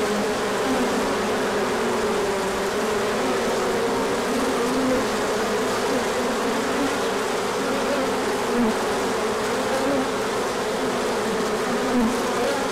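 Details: Honeybees swarming out on a large orientation flight as the sun appears after colder days, pollen coming in afterward; a dense, steady hum of many wings with overlapping drifting tones, loud and continuous throughout.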